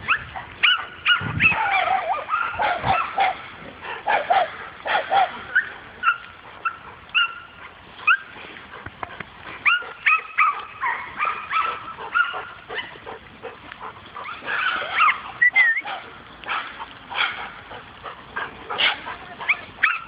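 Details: Dog meeting a wild boar for the first time, giving a long stream of short, high yelping barks and yips, uneven in spacing and loudness throughout.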